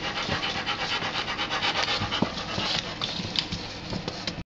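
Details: New puppy playing with other dogs, heard as fast, uneven panting breaths, about four per second, with scuffling and rustling play noises mixed in.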